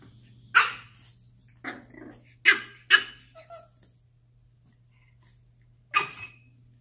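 A French Bulldog puppy gives short, sharp barks in scattered bursts, urging an older dog to play.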